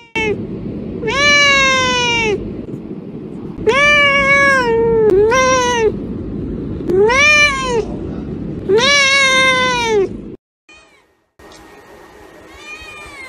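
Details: Little kittens meowing over and over: five long, loud, arched cries about two seconds apart, each rising then falling, with fainter mews after a short silence near the end.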